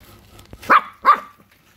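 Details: Puppy barking at a crab: two sharp, bright barks about a third of a second apart, each a short loud burst, in an otherwise quiet space.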